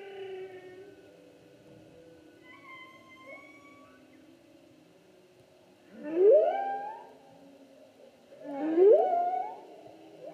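A humpback whale sings in slow, eerie phrases: soft wavering tones and high whistles give way to two loud upswept moans. The rising cries repeat a few seconds apart with harmonics ringing above them.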